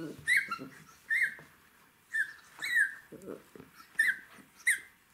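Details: Jack Russell Terrier puppy at play with its toys, whimpering in brief high squeaky bursts about once a second, each sliding up then down, with quiet scuffling and a low rough murmur in the gaps.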